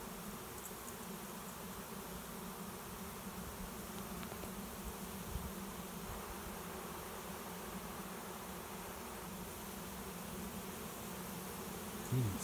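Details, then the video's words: A big cloud of honey bees that flew overhead now filing into a swarm trap behind a garage; sustained low droning buzz with a steady tone band and a brief knock at the end. "Swarm of honey bees finds new home"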